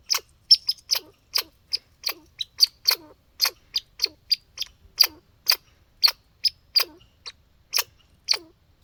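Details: Close, loud hiccup-like calling by a backyard squirrel outdoors: rapid sharp, high clicky chucks, some doubled, each trailing into a brief low tail, over near-silent background.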